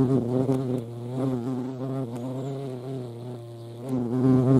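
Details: Hornets at a feeding spot in Dohr, Eifel, 28 July 2022, where ants also gather: a deep, throbbing wing drone with gently wavering pitch, softening in the middle and growing louder at the end.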